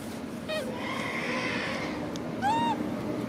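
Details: A macaque hugging his favourite food package cries twice: a brief upswept squeal, then after a pause a louder, clear rising-and-falling whine, both set against constant low rumbling background noise.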